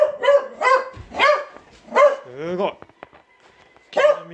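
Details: Pet Beagle called Will barking in short arched yelps, four in the first two seconds and another near the end, with a person talking between them.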